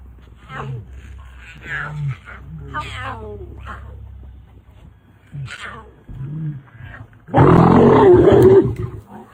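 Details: Male lion in Botswana, protective of his cubs and their mother; after several seconds of quiet low rumbles and human voices, a sudden loud, harsh roar bursts out for over a second.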